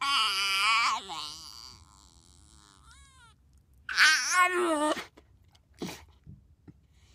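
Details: A Miniature Bull Terrier, excited in a car, gives long, wavering, high-pitched whines and yowls that rise and fall in bursts.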